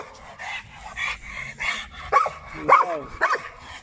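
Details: A Labrador Retriever described as a behavioural "time bomb" under assessment barks in a steady series, roughly two per second. The last three calls turn into higher, tonal yelping whines that bend up and down.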